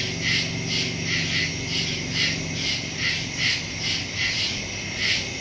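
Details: Night crickets in a wood, recorded September 2, 2023, via Samsung Galaxy S22 Ultra phone and Shure MV88+ stereo mic; high chirp pulses recur roughly every second over a soft, steady low hum.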